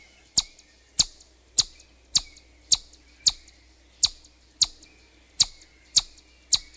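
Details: Chipmunk whistling: sharp, high chirps repeated about every half second, eleven in a row, each one a brief piercing note over a quiet background.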